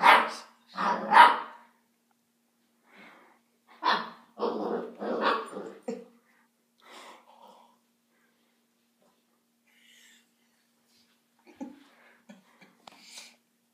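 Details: A female Basset Hound puppy named Gatsby barks at play indoors against Cocoa Puff: a cluster of loud, rough barks at the start and another mid-way, then quieter scattered sounds and voices in a small room.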